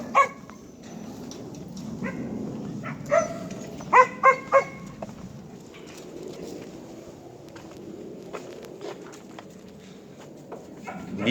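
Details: Native Korean Jindo dog barking: a few scattered yips early, then three loud clipped barks in quick succession near the middle, trailing into low rumbling background noise and faint clicks.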